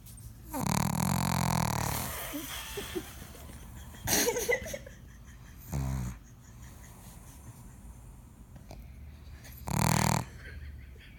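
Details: Snoring pug, a sleeping female. Four rasping, fluttering snores are spaced a few seconds apart. The first is long and drawn out, the later ones shorter, all low and rattly in a quiet room.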